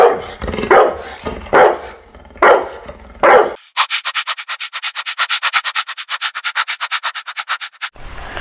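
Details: Playing puppies with toys on green grass; four harsh barks over the first three seconds, followed by a fast, even series of rapid pulses, about six per second, for four seconds.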